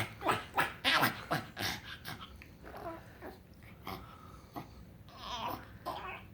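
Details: Frank the pug making odd sounds when happy: quick bursts of snorting breaths, fast at first then fading into softer, scattered huffs.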